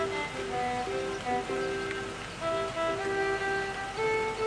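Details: Bowed violin music with sustained notes over a soft background wash, with no animal calls heard.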